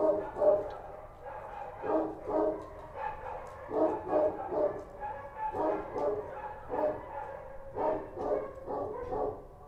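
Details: Street dogs of the Kochi breed bark through the night in Kabul: a near-continuous run of harsh, uneven barks, sometimes doubled or tripled, with hardly any silence between them.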